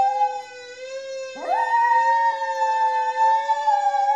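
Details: Miniature Schnauzer Maizie joins a wailing siren: about a second and a half in, her howl swoops upward and then sustains a single long, steady note, merging with the siren's constant tones until the end.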